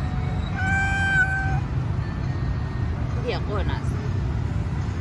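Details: Stray cat on the street, being petted, lets out one clear, drawn-out meow lasting about a second. Brief squeaky chirps follow, over a steady low hum of traffic.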